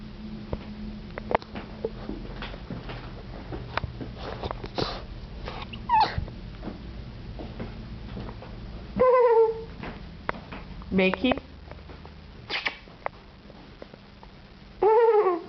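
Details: Four-month-old English Bulldog puppy indoors, wanting to jump onto a bed, gives several short whining whimpers with wavering harmonic tones, loudest bursts near nine, eleven and fifteen seconds, over a steady low background hum in a small room.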